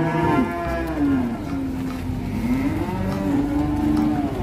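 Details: Cattle lowing indoors, a long low moo with a wavering, slightly falling then rising tone held for several seconds over a constant background rumble.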